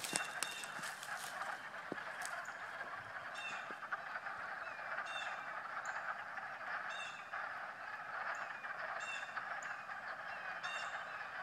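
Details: A March frog chorus, the animals croaking while swimming: a steady wash of overlapping raspy croaks, with sharper short chirping notes standing out every second or so.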